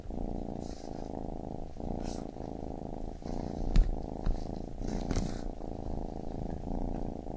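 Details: A baby kitten's low vibrating purr runs in rhythmic cycles of about a second, joined by occasional soft rustles and one or two light taps.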